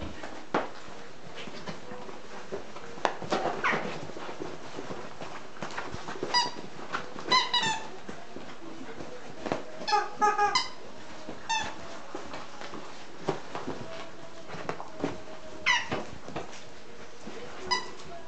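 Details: Nine-week-old English Cocker Spaniel puppies at their evening play and romp, giving scattered high, squeaky yelps and short whimpers that rise and fall, several in quick bursts, over a steady low background hum and rustling.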